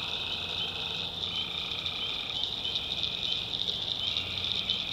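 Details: Night chorus of tree frogs from North Carolina backwoods swampland, a continuous high-pitched pulsing trill from many callers, with stacked lower buzzy tones switching on and off beneath it.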